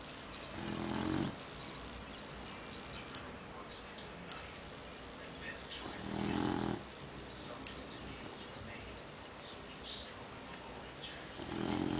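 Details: Beagle asleep and snoring: low, rough, rumbling snores come in short bursts about every five seconds, separated by quiet breathing against a steady hiss of background noise.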